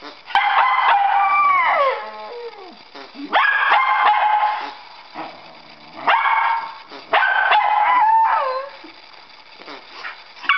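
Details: Pet dogs indoors, one barking to get the ball and another whining because it is held back from its playmate; bursts of yelping barks and falling whines come in four clusters with quieter gaps between.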